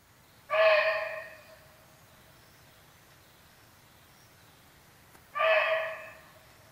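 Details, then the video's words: Barking deer raising the alarm on sensing a tiger: two loud, harsh barks about five seconds apart, each a sudden rich-toned burst that fades within a second, over quiet background. "Barking Deer Alarm Call"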